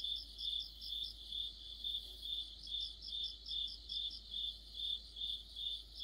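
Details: Crickets singing in deep autumn. A rhythmic, high, ringing chirp repeats evenly at about 140 per minute, with a fainter, higher insect adding quick pulses between the beats.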